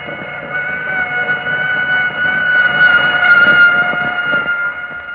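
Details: A single female Anopheles quadrimaculatus, a malaria mosquito, gives her mating call in a 1945 recording amplified over 100 million times: a steady hum with stacked harmonic overtones.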